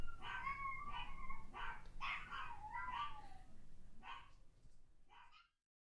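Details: Toy Fox Terrier reacting while barking dogs play from online videos: bursts of sharp barks mixed with whiny yelps that slide up and down, several quick calls per second, fading to a few spaced barks before stopping.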